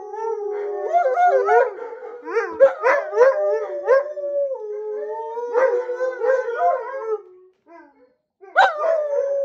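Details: Two female Alaskan Malamutes, Sojou and Dotty, howling in spring, set off by watching their sled dog friends on a screen; tangled, sliding howls with yips interwoven, fading near the end, then one last rising howl.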